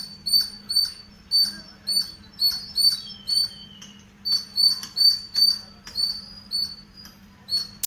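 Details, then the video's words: Chirping squirrel recorded in a home garden full of greenery: a run of piercing, short chirps at roughly two per second with a brief gap near the middle. A faint falling whistle sounds once, and a low hum continues underneath. "Squirrel Chirping sounds"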